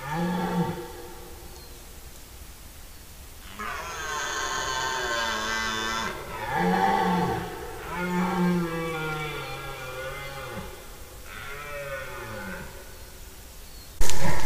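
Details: Red deer stags roaring during the rut in September, calling day and night in forest: several long, deep, harmonic-rich roars, some rising and falling, following one another over about ten seconds, with a sharp click at the end.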